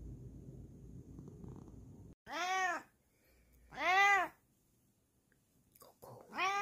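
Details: A Bengal cat indoors at midnight, tucked into a hiding spot, gives three clear arching meows that rise and fall, each under a second and spaced about two seconds apart, after a stretch of low rustling.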